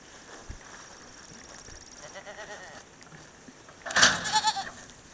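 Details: San Clemente Island goat mix herd in a new pasture: after a stretch of background hiss, one loud, wavering, harmonic bleat rises at the four-second mark and fades within a second.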